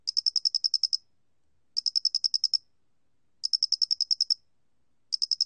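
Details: Square-headed cricket, recorded in 2020 for a national biological resources institute, giving rapid series of about ten sharp, high chirping pulses, repeated every one and a half to two seconds in a quiet setting.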